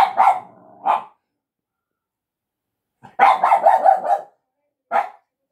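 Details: Small dog barking at a person: a couple of short barks, a long pause, then a rapid rattling run of barks over about a second and a single final bark.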